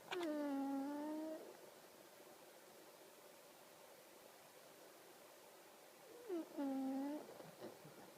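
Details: Sleeping pug with weird snoring: two drawn-out, whistling, moan-like tones that dip and level off, each lasting about a second, spaced roughly six seconds apart with quiet breathing between.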